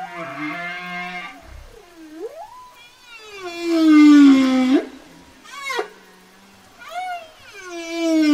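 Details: Whale song: sliding moans and tonal calls that swoop down and up, some long falling glides and brief rising whoops, strongly harmonic, with quiet gaps between phrases.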